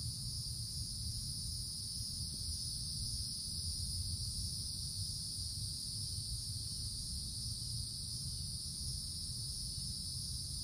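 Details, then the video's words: A steady wall of shrill cicada buzzing from summer treetops in the woods, two high tones sustained without pause for the whole stretch, backed by a low rumbling murmur. "Forest Canopy in the Summertime With Cicadas Sounds"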